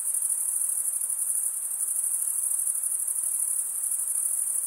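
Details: Crickets chirping by stridulation, usually males, wing rubbed against a comb-like serrated vein. A steady, shrill, unbroken trill stays high throughout, with only a light background hiss.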